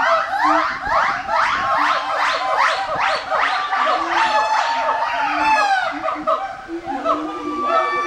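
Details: Gibbons at Twycross Zoo give loud, rising whooping calls that repeat quickly and build into a ringing, siren-like series.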